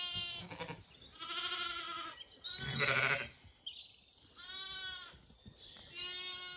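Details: Zwartbles lambs on a regenerative farm in County Kilkenny, Ireland, exploring near their mothers at breakfast; several wavering, harmonic bleats overlap, some high and thin and others deeper, with short pauses between calls.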